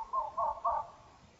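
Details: Red fox screaming during the rutting season, caught by a trail camera: three hoarse, wavering cries in quick succession, each about a quarter second long, with a quiet background.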